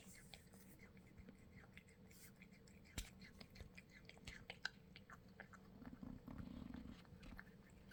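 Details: Domestic cat eating greedily indoors: wet chewing, crunching and smacking clicks come in quick irregular bursts over a low steady hum.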